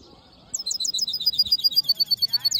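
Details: Hooded siskin mule song: after a short silence, a rapid series of high, sharp, repeated chip notes, about six per second, alternating between two pitches, getting steadily louder.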